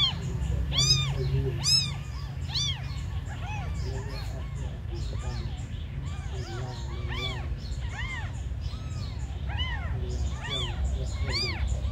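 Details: Several abandoned kittens keep up a chorus of thin, arching meows roughly once a second, some louder and closer, others softer, with a low droning rumble underneath throughout.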